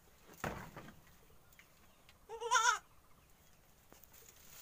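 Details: Young goat kid learning to stand on dry bedding gives one short, wavering, nasal bleat with clear stacked harmonics. A man speaks Indonesian before it, and there is soft background rustle.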